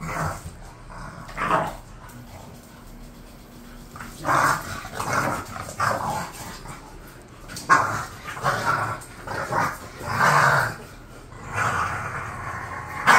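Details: Two bored house bulldogs, Khan and Ali, bark in scattered bouts, with a few early yaps, then clusters of loud, rough barks building toward the end, in an indoor setting with a faint hum.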